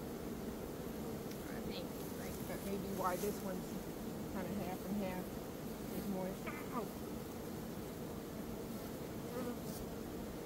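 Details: Swarming honey bees, one of two swarms taken in a single day in early May after a nectar dearth, caught into a box; a steady, low droning hum fills the recording, with faint voices in the background.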